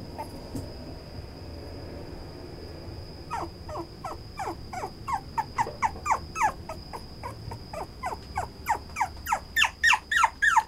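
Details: Male Toy Poodle, brown-coated, quiet at first, then breaking into rapid, high, downward-sliding yips that grow louder and faster, about three per second by the end; a constant thin high tone runs underneath throughout.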